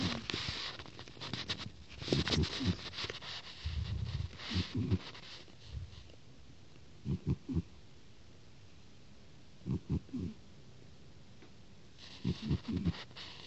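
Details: Domestic cat snoring indoors: low, rough double-pulsed snorts about every two and a half seconds, with broadband rustling noise in the opening seconds and near the fifth second.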